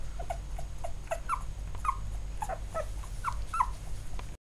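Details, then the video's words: Field-line Labrador Retriever puppy, eight days old, squirming in the litter; thin high squeaks and whimpers come in short bursts about every half second, over a steady low hum. "ラブラドールレトリーバーの子犬（生後8日目）labrador puppy 8days old."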